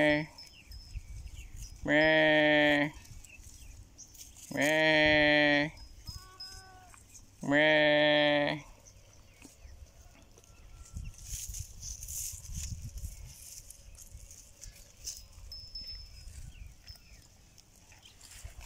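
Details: Goat bleating in three loud, quavering, harmonic-rich calls roughly every three seconds, each lasting under a second, followed by quieter rustling and faint background murmur.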